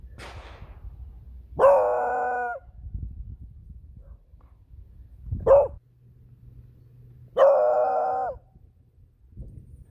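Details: Female beagle reacting to firearm shots from a hunting club's nearby practice range during a walk: two long, ringing harmonic bays about six seconds apart, separated by a short rising bark, after a sharp crack at the start.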